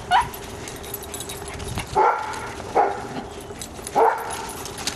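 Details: Female dachshund visiting her sister, giving short sharp barks about once every second, four in all, over a steady low background hum.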